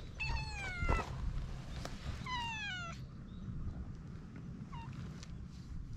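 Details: Free-roaming cat on a cat island, warming to a visitor, recorded with a GoPro HERO8: two clear, long meows sliding downward in pitch, a second apart, then a short faint mew, over steady low outdoor rumble.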